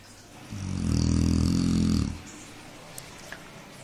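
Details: A sleeping pet dog gives one loud, deep, buzzing snore lasting about a second and a half, then quiet room tone with a couple of small clicks.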